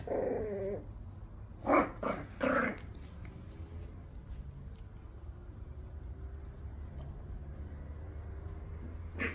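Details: Jack Russell Terrier puppies from a litter make a brief whiny whimper. Two short, loud yelping squeals follow about a second apart. A low steady hum fills the rest of the quiet stretch.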